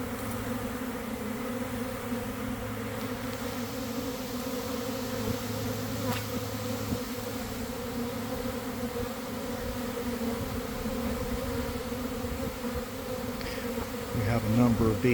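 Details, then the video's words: Honey bees swarming beside a garden hive, beginning to fan and spread homing pheromone: thick, constant droning buzz with a deep low layer, growing slightly louder and busier near the end. "Catching a Swarm in Real Time!"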